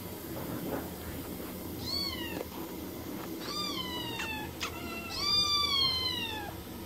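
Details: Cats and kittens meow in quick succession, short arching cries that bend downward, four or five calls spaced about a second apart, the last one longest and loudest, over faint room noise.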